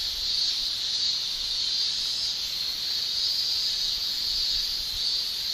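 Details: Shrilling chorus of male cicadas in summer in Japan, produced by tymbals: a steady, high, hiss-like buzz with only faint swells, holding on without a break.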